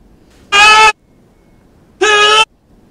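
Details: A very angry desert rain frog gives two loud, squeaky, nasal squeals like a dog toy, its sonorous war cry.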